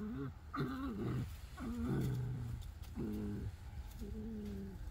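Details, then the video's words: Pet fox chattering while being scratched: five nasal, harmonic calls roughly once a second, each wavering then holding a steady pitch, some gliding downward, over a soft background hiss. "Finnegan Fox chats while being scratched"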